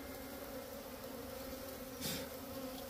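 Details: Small bee nest in a hut: a continuous even buzzing drone, low-pitched with a brighter overtone above, holding steady across the whole stretch, with one brief louder rustle near the end.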